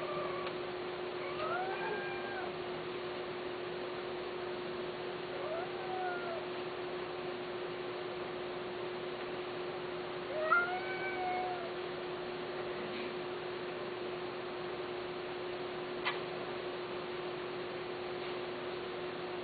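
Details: Persian (Himalayan) cats, male and female, during mating; several drawn-out wavering meows that rise then fall, spaced a few seconds apart over a steady low hum, with a couple of sharp clicks.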